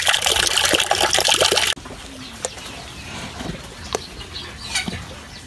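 A cow drinks with loud, wet slurping and splashing that quickly gives way to a few faint drips.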